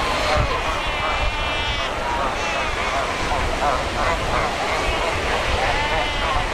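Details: Seaside rocks at Cape Cross on the Skeleton Coast crowded with Cape fur seals: several bleating, sheep-like harmonic calls overlapping one another against a continuous wash of ocean surf.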